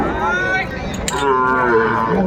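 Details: Sahiwal cattle moo at a livestock market in Kurigram, Bangladesh, on 14 December 2024. A short, bright lowing call wavers and is answered by another, with a brief knock and background crowd noise.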